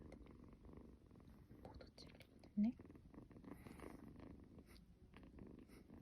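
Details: Cuddled kitten snoring with a soft, low, continuous purr under quiet indoor background and brief human speech, with one short louder sound in the middle.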